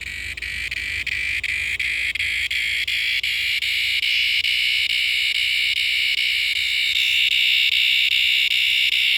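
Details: A noisy cicada in a backyard gives a loud, steady, high-pitched buzzing drone.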